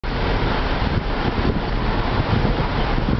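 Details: Loud buffeting wind and road noise roar without a break, and no animal voice stands out.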